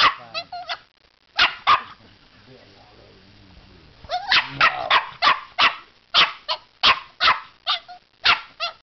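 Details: Puppy barks at a fake alligator head holding its teddy bear: a few yaps, a quiet pause with a person's voice, then a steady run of sharp barks about every half second.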